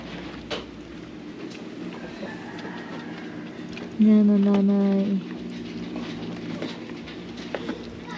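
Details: Domestic pet goat in the Philippines giving one loud, steady, nasal bleat lasting about a second, low and rich in harmonics, with quiet background talk before and after.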